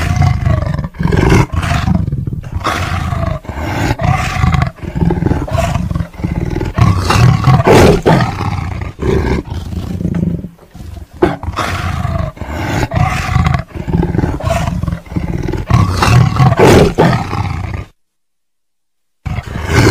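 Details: Tiger roaring and growling: deep, rumbling low-pitched roars in rough pulsed bursts, repeated many times over about eighteen seconds, ending in a brief silence before another sound starts.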